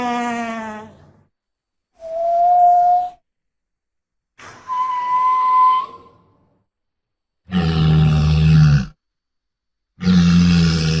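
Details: Walrus roaring: several separate calls with short silent gaps, first a tonal, harmonic moan and a steady mid-pitched whistle-like note, then two loud, deep, buzzy bellows, each lasting about one and a half seconds.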